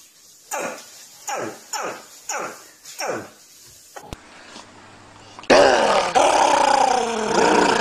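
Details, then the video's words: Dog vocalizing indoors: six falling, harmonic yelps about half a second apart, each sliding from high to low pitch. A loud, rough, broadband noise then takes over the last few seconds. "NOISE&BARKS DOGS"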